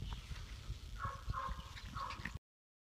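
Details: Labrador Retriever puppies, four and a half weeks old, give three short, soft whimpers, each a brief nasal whine about half a second apart, over low rustling and handling noise before the sound cuts off.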